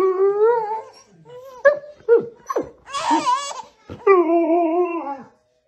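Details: Siberian husky vocalizing indoors while tickling a baby: wavering, harmonic howl-like moans at the start and end, with short yelps and a burst of a baby's giggly, squealing laughter in between.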